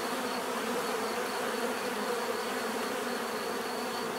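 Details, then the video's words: Bees producing an even, continuous buzz, many overlapping wingbeat hums forming a uniform drone for the whole stretch. "bees therapy relaxing natural buzzing sound"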